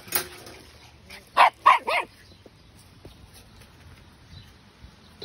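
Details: Twelve-week-old Patterdale Terrier puppy letting out a brief yap, then a quick run of three high barks about a quarter second apart, the last one bending upward like a yip, followed by near silence.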